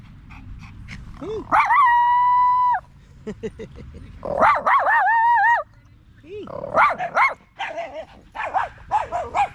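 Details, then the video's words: Staffordshire Bull Terrier with other male dogs in a park in the evening, chatting in long howl-like and whining tones that glide up and down, mixed with short barks and yips, several voices overlapping. "Long evening at the park male wolf pack chat"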